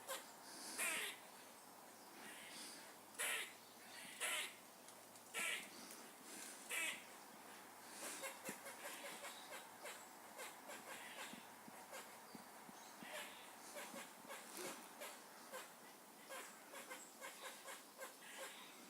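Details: Squirrel noises: several loud, rasping, high-pitched barks in the first seconds, followed by a softer, continuous fast chattering.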